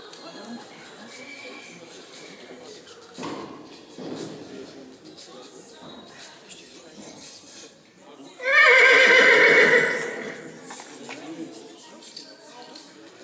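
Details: Rosine, a two-year-old Black Forest coldblood mare born 24 April 2019, at the Zukunftspreis 2021 mare show in St. Märgen, Germany, on 23 October 2021, gives one loud, ringing, harmonic whinny lasting about two seconds, amid voices and hall murmur.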